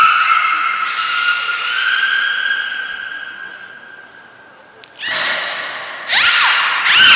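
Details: Training session with belugas Gray, Nana and Mirai at Port of Nagoya Public Aquarium, 10 February 2024: a long, drawn-out tonal moan sliding slightly in pitch, then thin high whistle blasts and bursts of harsh, buzzy squeals and chirps.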